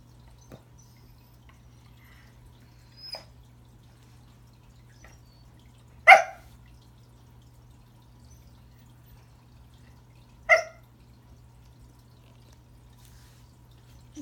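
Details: Pembroke Welsh Corgi Remington tries greeting a new friend beneath the Christmas tree. Faint scattered yips are followed by two strong, short barks about four seconds apart, with long quiet gaps and a low background hum indoors.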